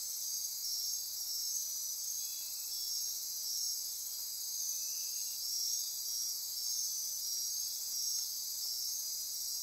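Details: Night chorus of rainforest insects near Corcovado National Park, Osa Peninsula, Costa Rica: constant shrill buzzing and trilling with regular pulsing beats, plus a few brief lower chirps underneath.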